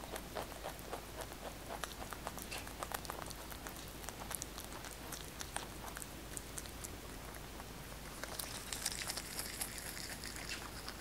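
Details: Large house rabbit Kkotdol-i eats fresh basil in a quiet indoor room. Steady crisp crunches and tiny clicking bites repeat throughout, and a brief leafy rustle toward the end.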